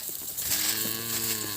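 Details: Calves crying after being separated from their mothers: a steady, slightly nasal bleat with a level tone lasting about a second, over a hissy, noisy background.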